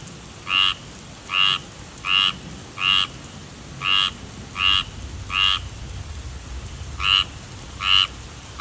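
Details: Tree frog giving a string of short grating croaks, evenly spaced at first, then a pause of about a second and a half before two more calls, against a low rumbling background.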